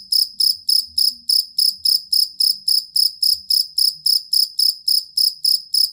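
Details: Shrill, evenly spaced chirps from a jangkrik kalung fighting cricket, kept as masteran for songbirds; about twenty pulses in six seconds, with faint low background noise.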